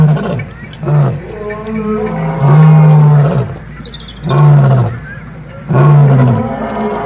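A male lion gives a series of deep, rumbling roars, each a low drawn-out groan repeated every few seconds.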